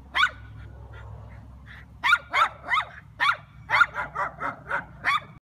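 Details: Schnauzer barking at a turtle: one lone bark, a second of quiet, then a quick run of about ten sharp barks, roughly three per second.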